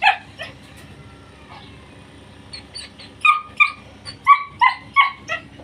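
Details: Male short-coat German Shepherd puppies kept for sale in Pakistan, Thursday around 12:30. A sharp yelp opens, then quiet, then a run of about eight shrill, rapid yips at roughly three per second, with a constant low background hum.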